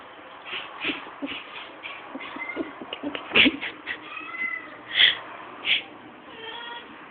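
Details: Domestic cat going crazy at a fly, captured on a poor camera: rapid, irregular chirps and squeaky trills, several sharp louder cries near the end, with background hiss throughout.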